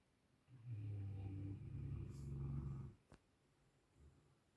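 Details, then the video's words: Sleeping dogs snoring: one long, low, rumbling breath lasting about two and a half seconds, buzzy and harmonic, followed by a brief click and quiet. "Snoring dogs"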